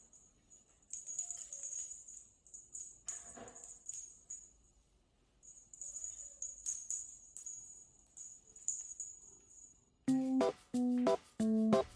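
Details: Upbeat music with jingling bells and shaker rhythm, then a few bright chime-like tones at the end, with faint speech; no animal voice heard.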